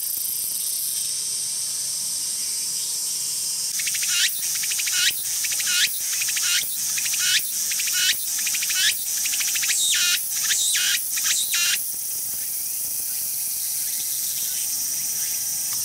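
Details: Tsukutsuku-boshi cicada (Meimuna opalifera) song: after a background drone, a burst of fast, closely packed shrill pulsing phrases runs for about eight seconds, then stops abruptly, leaving only the continuous high buzzing hiss.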